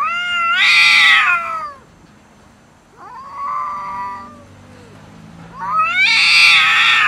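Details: Domestic cats quarrelling over food, trading harsh, loud yowls: a strong wavering wail, a quieter lower moan in the middle, then another intense drawn-out scream at the end.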